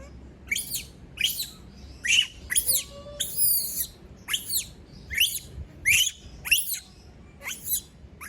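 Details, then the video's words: Shrill screaming from a female monkey after all her people have left her alone: a steady run of about twelve sharp, high, falling screams, one roughly every 0.7 seconds. "Sound of monkey berlin scream when all leave her alone, monyet berlin berteriKmak sendirian"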